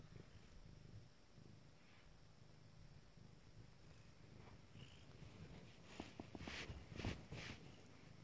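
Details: Low, droning purr from nine-day-old Abyssinian kittens, steady at first, then overlaid by louder shuffling and scratching noises toward the end.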